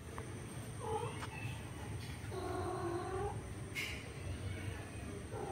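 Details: Orange male cat trying forcefully to mate with a female cat gives low, drawn-out wavering yowls, one short cry near the start and a longer rising moan midway, over steady low background hum.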